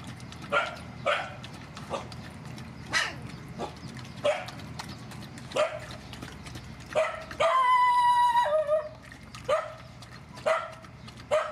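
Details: Rescue mother dogs and puppies at feeding time bark in sharp bursts, sometimes two close together, at uneven intervals. Near the middle comes one sustained, even-pitched whine lasting about a second, then more single barks. A low steady hum runs underneath.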